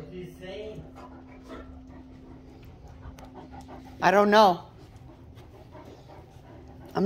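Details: One of two Great Danes that hold full-blown 'conversations' every morning gives a loud, wavering, moan-like 'talking' call between quieter human speech and a steady hum.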